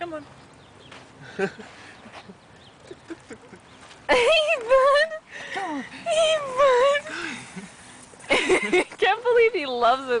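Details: Yorkshire Terrier outdoors with a stick it loves, giving several drawn-out, wavering high whines in bursts separated by short pauses, while a person talks to it throughout.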